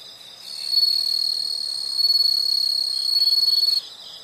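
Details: Insects calling outdoors: a sustained high, buzzy trill lasting about three seconds over a soft background hiss, ending sharply.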